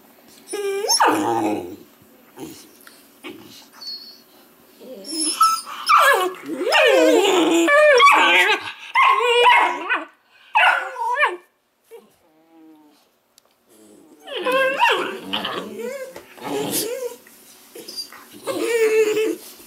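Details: Weimaraner puppies from the Indigo and Magnum litter, a group of pups calling together indoors: bursts of high, wavering whimpers and sharp yips with bark-like notes, overlapping and tumbling in clusters, a brief lull near twelve seconds before the yapping resumes.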